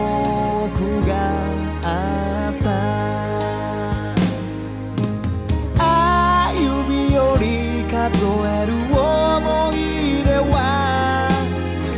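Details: Steady instrumental music with sung melody and a deep, sustained bass, and no animal voice.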